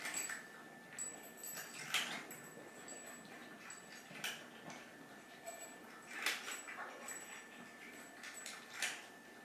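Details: Pet cats Chai, an orange tabby, and Sushi, a mackerel tabby, hungry and pleading for their meal before feeding time; brief high meows come every few seconds, separated by quiet background hiss.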